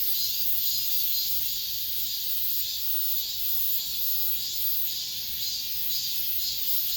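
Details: Cicada song from an apartment complex, recorded as the last of this summer's chorus. A high, sizzling buzz pulses in quick regular surges about twice a second over a constant drone.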